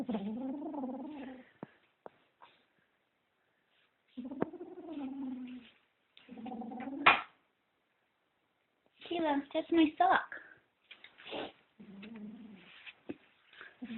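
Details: A kitten guarding socks it is possessive over makes low, droning growl-moans in separate bursts of one to two seconds. Short yowly bursts and soft thumps fall between quiet pauses.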